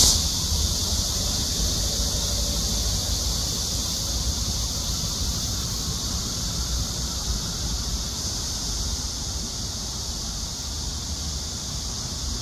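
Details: A Korean cicada holds one continuous, shrill, bright, hissy buzzing drone with no breaks, over a dull low rumble throughout.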